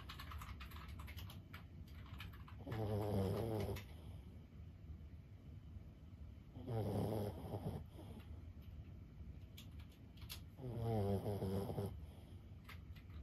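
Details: Sleeping senior Boston Terrier Lulu, aged 15, snores steadily. Three low, throaty, buzzing snores about a second long arrive roughly every four seconds, with quiet breathing and faint clicks between.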